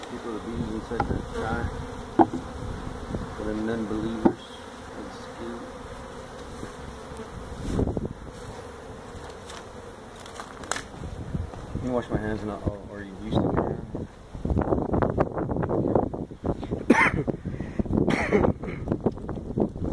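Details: Feral honey bee colony built inside a tractor tire in a stack at a citrus orchard in Mission, Texas, during hive removal: steady droning hum of many bees, broken by loud knocks and handling noises that grow busier toward the end.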